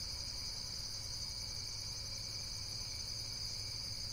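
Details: High insect trilling, rapid and shimmering, continuing without a break across the short stretch, with a low hum of background noise.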